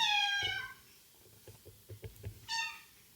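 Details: Domestic cat meowing indoors while being gradually introduced to other cats in the household: one harmonic meow falling in pitch at the start, soft footsteps or taps, then a second short meow near the end.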